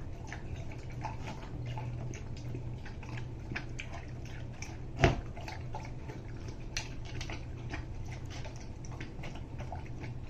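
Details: Rousseau, a Greater Swiss Mountain Dog, eating a soup of turkey, carrots, cauliflower, red bell pepper, coconut oil, flax seed and water, giving steady wet lapping and slurping clicks over a low indoor hum, with one louder knock midway.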